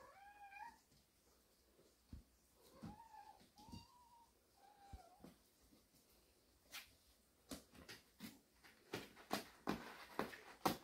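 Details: Cats of a family resting in a warehouse: about four short, clear meows in the first five seconds, each a slightly arched tonal cry, followed by a run of sharp tapping and clattering knocks.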